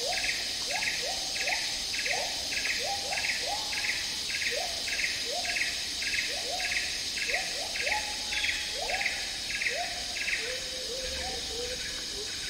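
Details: Agile gibbons (Hylobates agilis) in Malaysian tropical rainforest sing a fast series of rising, hooting notes over a loud insect chorus.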